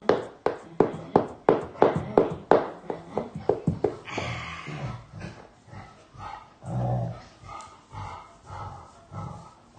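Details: Fox red Labrador Retriever making cute sounds to call its owner over: rapid breathy puffs and ticks for about four seconds, then soft, low, moaning whines and grumbles rising and falling.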